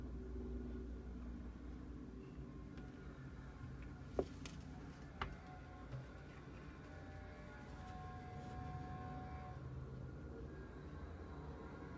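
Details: Quiet indoor background with a low vehicle-like rumble and a couple of brief clicks, with no animal sounds.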